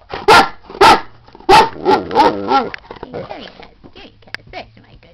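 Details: Great Dane Beauty, female, signals she needs to go out with three or four abrupt barks and a short yodelling run, then a person speaks to her in a low voice.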